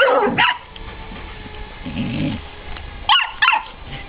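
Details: Ella, a 9-week-old Irish Soft Coated Wheaten Terrier puppy, meets Otis, a 28-month-old Broken Tricolour Beagle, and is terrified; a sharp opening bark, a low grumble, then two quick high yapping barks close together, with light indoor shuffling.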